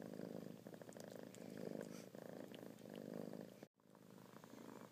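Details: Kittens purring close up in rhythmic waves of a throbbing low rumble, cut by a brief dropout of silence just before the four-second point.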